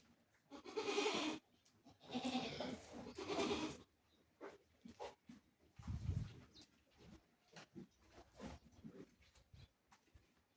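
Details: Black Bengal goat at a goat farm in Bargarh, Odisha: three loud, wavering, harmonic bleats within the first four seconds, followed by quieter scattered bleats amid shuffling and low farm noise.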